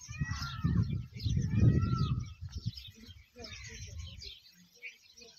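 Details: Low, throaty pulsed gurgling from a camel in the Tharparkar desert of Pakistan, two rough bursts in the first two and a half seconds, then softer rumbling, with faint high chirps and voices behind.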